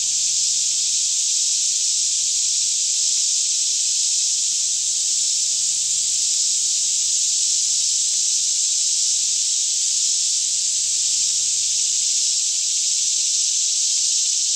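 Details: Cicadas form a continuous daytime chorus all around a lush Kentucky forest near Franklin at about 10am, air fairly still, stereo Canon 5D Mk2 recording; an even, shrill buzzing drone persists throughout, over a soft low rumble.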